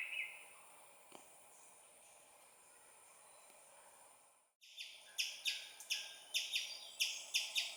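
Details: Young squirrel calling its mother with loud chirps: after a quiet, hissy stretch and a brief gap, sharp clicky chips ring out in a fast series, roughly two per second, about ten in all.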